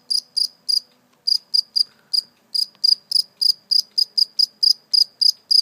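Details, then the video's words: Captured live cricket, let go afterwards, giving steady high-pitched chirps repeated roughly three to four times a second after a short gap early on; quiet background otherwise. "Real live cricket chirping sound"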